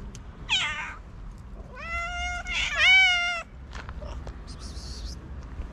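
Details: Starving feral cats waiting for food meow in quick succession. Several harmonic cries overlap, one rising and falling, followed by faint clicks and rustling.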